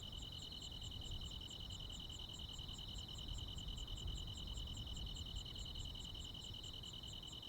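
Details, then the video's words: Crickets and other insects on a countryside summer night: a steady, shrill high trill runs throughout, with a fainter, higher pulsed ticking repeating about two to three times a second over a low rumbling background. "시골 야간 귀뚜라미, 벌레 소리"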